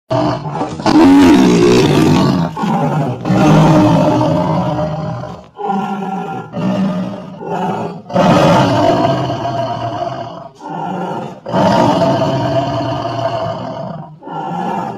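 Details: Angry Siberian white tiger that does not want to be disturbed, giving deep, rough roars in bursts of about one to two seconds, separated by short silences, with a broad rumbling low end, repeated throughout.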